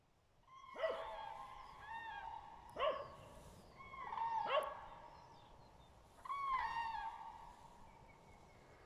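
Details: A dachshund on a walk gives several short sharp yelps mixed with higher whining cries, four bursts in about six seconds, then a longer falling whine, with soft outdoor background noise.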